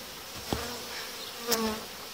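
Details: Honey bees inside a hive while colonies are being united and the dividing boards removed, a dense steady buzz with two sharp knocks of hive parts being handled.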